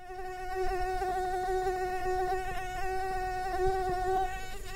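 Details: Invasive Asian tiger mosquito (Aedes albopictus) recorded in September 2023 in Kristina Enea – Gladys park, Egia, Donostia: a continuous, steady, nasal whining hum with many even overtones, holding one pitch throughout, with faint low background rumble.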